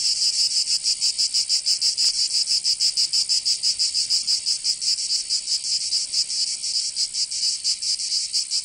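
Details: Provençal cicadas in summer, southern France: a piercing high-pitched rattle beating in quick pulses of around five per second, steady and loud, layered over a constant sizzling hiss; nothing else heard.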